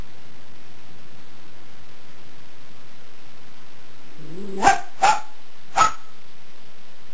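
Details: Jack Russell Terrier playing indoors with a cat, giving three short sharp barks in quick succession near the end after a low growl-like lead-in; otherwise quiet room.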